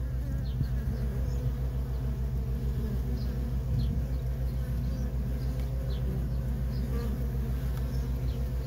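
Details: Steady low droning of worker honey bees coming and going at a feral colony, a thick unbroken hum with faint passing buzzes drifting over it.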